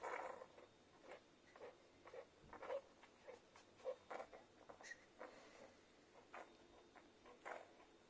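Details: Newborn Irish Setter puppies from a first litter, suckling from their mother indoors: soft wet smacking and snuffling bursts come every half second or so, with a few tiny high squeaks mixed in. The room is otherwise quiet.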